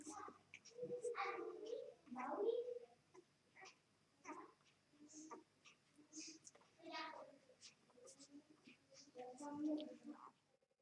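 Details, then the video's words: Newborn mixed-breed puppies, two days old, from a Vizsla dam and Labrador sire, heard in a small room: thin wavering whines and squeaks in scattered bursts, quieter snuffles and rustles filling the gaps. "2 Days puppies - 2 Jours - 2 Dias (Vizsla x Labrador)"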